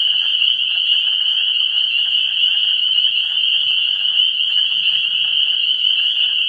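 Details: Many frogs calling together at a vernal pool on 17 March 2016, just before spring: an intense sustained high-pitched chorus, evenly loud throughout, with faint lower trilling voices in the background.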